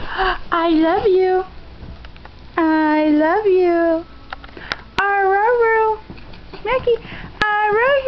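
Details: A dog learning to say "I love you" gives drawn-out, wavering howl-like whines, each rising then falling in pitch, in several separate bursts with short pauses, indoors.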